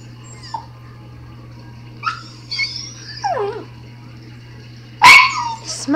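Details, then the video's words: Smudge, a pet dog, howling indoors: short whining yelps rising and falling, a longer wavering descending howl, then a loud sharp burst near the end, with a steady low electrical hum throughout. "Smudge Howling"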